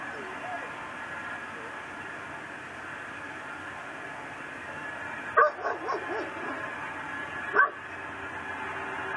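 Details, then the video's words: Night recording from Louisiana, December 24, 2012, of a pit bull tied to a post outdoors and barking constantly: a bark with a short follow-up cluster, then another sharp bark two seconds later, over hiss. "Neighbor's Nuisance Barking Dog"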